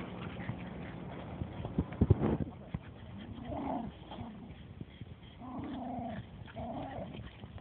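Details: Dogs Oscar and Dollar roughhousing in the small dog run at Tompkins: after a few thuds, short arched growling whines come in bursts around the middle and end, over steady background rumble.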